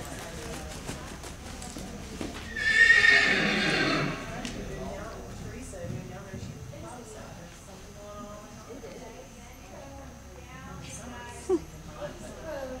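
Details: A 4-year-old green quarter horse at his first horse show in early spring 2009 gives one loud whinny lasting about a second and a half, with hoof clip-clops, distant voices and faint background noise throughout.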